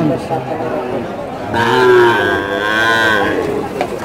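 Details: Improved-breed bull calves lined up for sale at Choubaria cattle market, Manda, Naogaon, recorded 28 September 2018: one drawn-out harmonic moo rising then sagging over about two seconds, with men talking nearby throughout.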